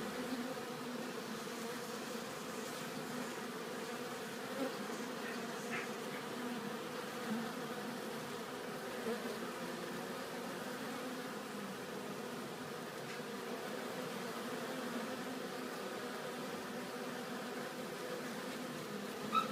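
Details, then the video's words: Many honeybees bringing pollen back to the hive at a bee farm produce a clear, layered wingbeat drone, a low hum with distinct higher harmonics, holding steady while individual bees pass close with brief louder swells. "Honeybee collecting bee pollen back to hive"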